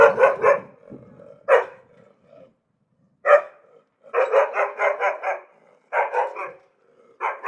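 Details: An angry dog barks in bursts: a double bark, single barks after pauses, then a rapid string of about six harsh barks, a shorter run of three, and a final bark; quiet, clean background.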